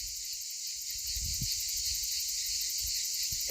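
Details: Many cicadas and crickets call together in the heat; the hotter it gets, the more they are heard. A continuous, high, buzzing wall of sound holds throughout, with a few soft low thumps underneath.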